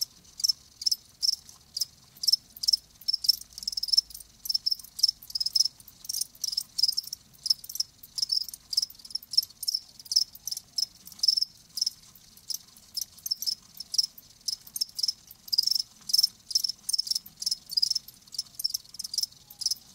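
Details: Crickets, kept live, give rapid high chirps in clipped bursts, often doubled, repeating steadily through twenty seconds of otherwise quiet background.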